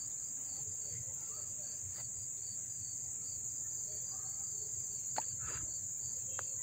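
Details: August 1, 2014 in Dobbs Ferry, New York: crickets close by sustain an even, very high continuous trill, with a few sharp clicks and taps near the end over a low rumble.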